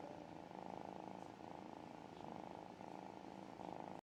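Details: Little kitten purring contentedly as it is cuddled: a soft, even, vibrating purr rising and falling with each breath, roughly once per second, with nothing else audible.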